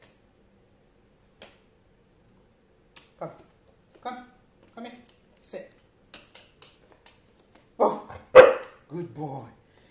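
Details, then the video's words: Dog barking on command: quiet spoken words come first, then two loud, sharp, broadband barks close together near the end, followed by a softer voiced sound. "Bark On Command"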